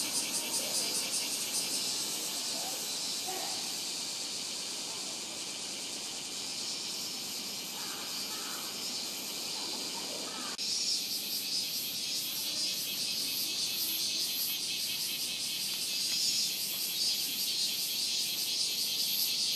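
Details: Minmin cicada chorus recorded live at a shrine in Ota Ward, Tokyo, using a Sony PCM-M10: shrill pulsating buzz throughout, shifting to a brighter, more intense throb midway, with occasional faint low sounds beneath.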